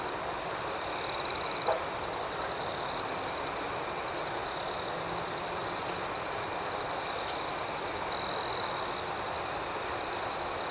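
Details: Night chorus of crickets, an unbroken high-pitched trill overlaid with pulsing chirps; a nearer caller breaks in with a louder buzzy burst early on and again near the end.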